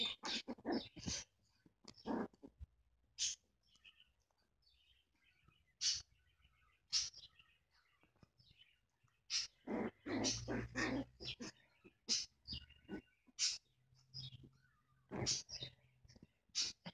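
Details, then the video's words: A Chihuahua, called tough and little, gives short sharp high yelps and whimpers in irregular bursts, with quiet gaps between and faint thin squeaky sounds; low background hum. "Tough little chihuahua"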